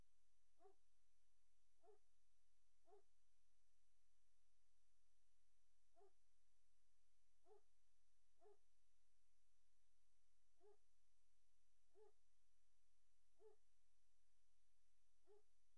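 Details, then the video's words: Nursery litter of Great Dane puppies, 03-04-2019, late afternoon: a steady series of brief high whimpers roughly every second, with one longer quiet pause midway, against low background hum indoors. "Great Dane Puppy Nursery"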